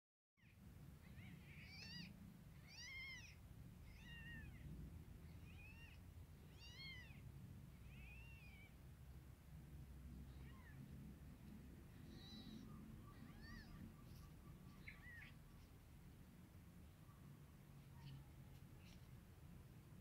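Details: Baby kittens nursing on their mother's milk give thin, high, arched mews repeated about once a second, mostly in the first eight seconds, then sparser, over a soft low rumble.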